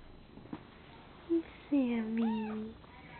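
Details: Male cat Jackie, purebred, grooming male kitten Sammy, part Siamese; a short low chirp then a drawn-out, wavering meow with a rising second note, while people talk quietly in the room.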